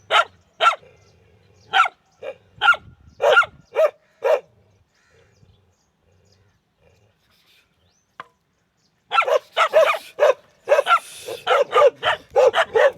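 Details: Barking dogs: a run of evenly spaced sharp barks, then several seconds of near silence with one faint click, then a dense, rapid flurry of barks at the end.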